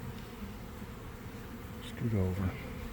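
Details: Honey bee swarm forming in a garden around one in the afternoon, on a warm day after a week of cold, damp weather, recorded from inside the swarm: a dense, low, steady hum of many wings, with a brief human voice near the end.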